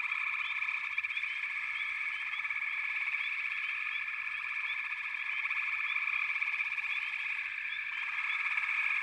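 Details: Frog chorus from backwater: a dense, unbroken pulsing trill fills the mid range, with short bright upward chirps scattered over it and a slight swell near the end.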